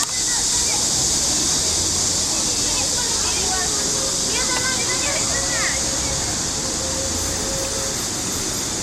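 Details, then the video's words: Trees near the Huangzhou lake ring with cicadas, a constant high sizzling drone without pauses, with faint voices of people walking past partway through. "Sound of the Cicadas of Huangzhou"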